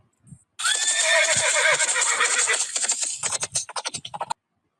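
A horse gives a loud, shrill neigh lasting nearly three seconds, breaking into quick fluttering pulses as it fades.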